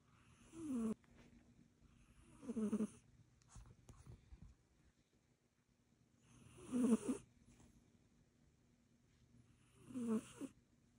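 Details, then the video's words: Snoring from a sleeping Egyptian Mau: four rasping, wheezy snores roughly every two to four seconds, each a low buzzy rattle with airy hiss, with soft breathing between. "snoring cat"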